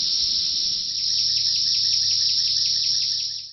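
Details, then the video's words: Thousands of Brood X periodical cicadas in treetops at Big Bone Lick State Park, Kentucky, calling for mates at the peak of the 17-year emergence: an unbroken, piercing high whine with faint pulsing beneath, fading out at the end. "Screaming Cicadas at Big Bone Lick"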